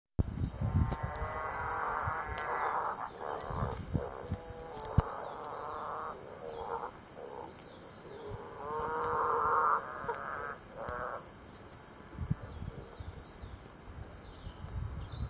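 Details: Green and golden bell frog recorded at Sarramea: a long growling, pulsed call with stacked harmonics between roughly 500 and 1500, several bouts in a row, over steady high insect buzzing and clicking.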